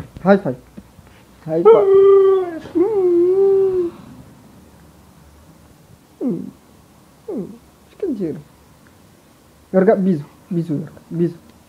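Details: Morning greeting from Yorga, a Siberian Husky, in bed: a drawn-out wavering howl-like moan lasting over two seconds, followed by a series of short downward yips and a cluster of quick barks near the end.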